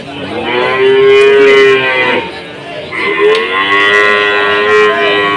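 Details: At an Indonesian cattle market amid a foot-and-mouth disease outbreak, cattle give two sustained moos, each about a second or more, steady and harmonic-rich, separated by a short pause, against a murmur of market noise.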